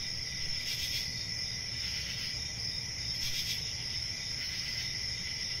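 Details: Crickets chirping in a steady, continuous high-pitched trill with a dense chorus overlapping throughout, accompanied by a low background rumble and occasional brief broadband rustles.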